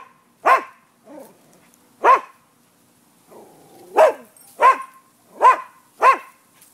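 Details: Neighbourhood dogs recorded on 5 November 2015 around noon, described as a nuisance: six sharp barks spread over several seconds, the first and fourth louder, the last four coming in a quicker run about every half second.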